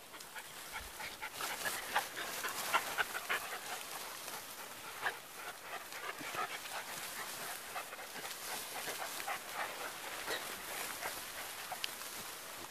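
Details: Sealyham terriers resting in the morning sun, heard as fast, breathy panting repeated about four times a second, soft airy puffs with some rustling in the background.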